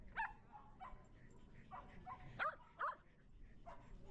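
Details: Shetland Sheepdog at a dog run during a birthday party, shy around unfamiliar dogs; a few short, sharp yipping barks spaced irregularly over four seconds, with faint voices in the background.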